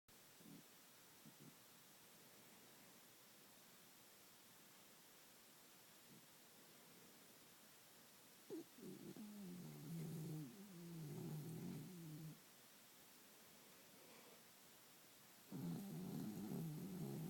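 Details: A pet dog snoring in its sleep, usually louder than here; a low rumbling snore rises at about nine seconds and again near fifteen seconds, with quieter breathing between in a small indoor room.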